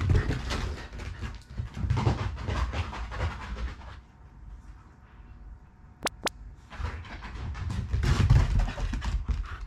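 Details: Fresh from its bath and wildly excited, a pet Shiba Inu rumbles with affectionate growls as the water is wrung from its fur. Low pulsing growls and panting breaths are heard, with a short quiet gap and two sharp clicks.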